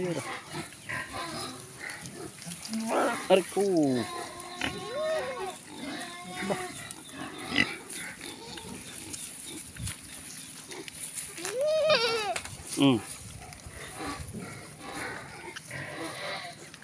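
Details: Native free-range pigs being fed outdoors, giving harmonic squeals and grunts in irregular bursts, several rising and falling, while a person talks in Filipino nearby; a steady high hiss runs underneath.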